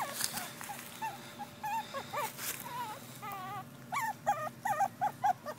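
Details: Two female Pekingese puppies whimper and squeal in high, wavering, rising-and-falling cries that come in quick bursts.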